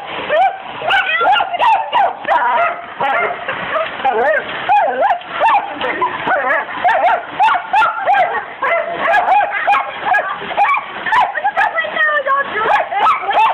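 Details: Pet dachshund named Buddy going wild at a window being squirted with hose water, licking and biting the glass; repeated short, sharp barks and yips, overlapping with people talking and laughing, with water splashing against the glass.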